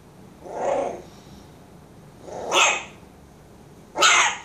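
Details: A 16-day-old Bull Terrier puppy in the morning gives three short, harsh, rasping cries, described as roaring, spaced over a few seconds.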